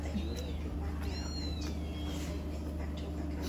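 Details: Abandoned newborn kitten rescued from the street, being hand-fed; thin high mews that rise and bend downward, two or three in a row, over a steady low hum and soft background voices.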